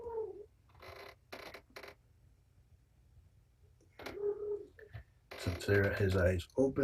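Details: Patience's kittens, a litter of four males and one female, during an afternoon treatment with antibiotic eye ointment indoors. Two short, thin, falling mews a few seconds apart, separated by rustling, followed by a person talking.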